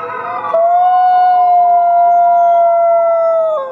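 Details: Captive gray wolves, fifty in the pack, at the Wolf Conservation Center in South Salem, New York: a single clear howl swoops upward, then holds a long, pure, even note for three seconds before dropping away.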